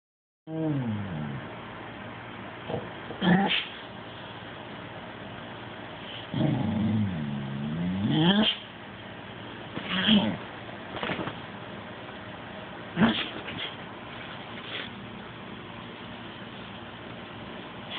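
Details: Smoothie McCool, a cat described as grumpy and fussy when denied massages, gives low drawn-out wavering growls and moans in several bursts, rising and falling in pitch, with quiet gaps and a steady background hum between them.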